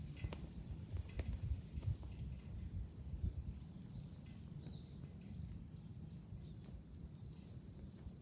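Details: July cicada chorus recorded from a hilltop viewpoint above Fukuoka, Japan, a steady piercing high-pitched drone holding throughout, rising briefly near the end, with soft low wind noise beneath.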